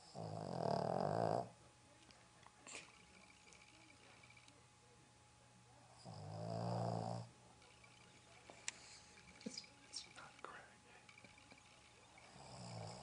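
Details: Sleeping Boston Terrier named Roxy snoring inside a house in Dallas; two drawn-out raspy snores roughly five seconds apart, with faint clicks and small household noises in the gaps.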